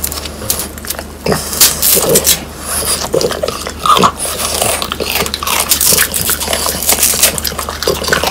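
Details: Crispy dried quail being chewed by French Bulldogs Pang, Kun and Ppo. Crunchy snaps and crackles come in clusters, mixed with moist mouthing sounds between bites.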